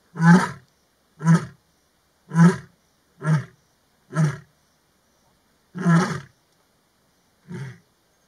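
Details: Lioness from the Maji ya fisi pride roaring in the afternoon to communicate with other pride lions: a series of seven deep, grunting pulses, about one per second, fading after a short pause.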